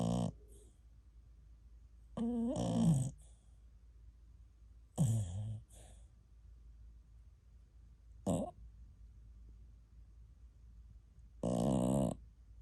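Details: TuTu, a ten-month-old American Cocker Spaniel, sleeping indoors and snoring like an old man for an hour: rough rasping snore bursts at uneven intervals of a few seconds, with quiet breathing between them.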